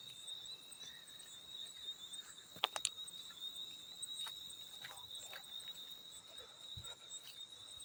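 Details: Continuous shrill trilling of a field cricket, even and unwavering, with a faint upper overtone; a couple of sharp splashes stand out near the middle among occasional soft drips.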